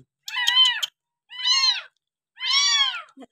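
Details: Abandoned village kitten, found dumped beside the house and bottle-fed milk on its sixth day of care, giving three loud drawn-out meows about one second apart, each with a bright arching tone, in a quiet room.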